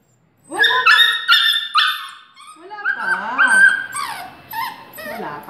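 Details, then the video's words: Two-year-old Aspin dog crying out in pain while getting a vaccine shot in August 2017: loud, high, harmonic wails and sliding yelps, then wavering whines, with a person talking in Filipino. "Dog Cries From Vaccination"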